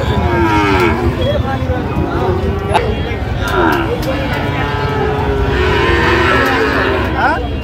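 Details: Sahiwal cattle at Ambari market on 1 August 2025; several short, low lowing calls half buried in loud crowd noise, with a few clicks and knocks.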